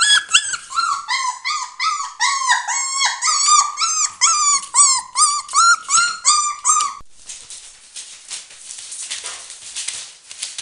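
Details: Border Collie puppies, four weeks old, beside their mother Nova, a Finnish champion: a rapid run of harmonic whining yelps about twice a second for seven seconds, then only rustling and shuffling noise.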